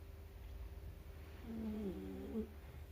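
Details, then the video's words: Four-month-old Shiba Inu puppy Kurumi napping inside a carrier, giving a single whistly, nasal snore in the middle of the clip. Two wavering tones sit over a steady low indoor hum. "ちっちゃな柴犬くるみちゃん お昼寝でいびきをかく"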